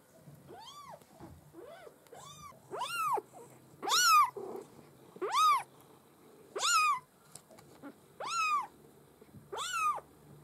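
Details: Maine Coon kittens from a breeding litter mewing insistently, about eight sharp arched cries in ten seconds, growing louder and more piercing, with a low steady hum beneath.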